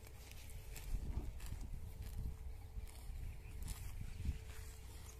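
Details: Cows eating grass near a village house: soft crunching and tearing bites come in a loose, irregular series over a low rumbling background, with a steady faint hum throughout.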